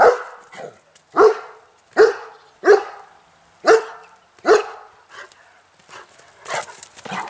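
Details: A German Shepherd on the island of Bornholm gives a string of loud, single barks in the afternoon to call wild pheasants in for feeding, not threatening; he stops once they come.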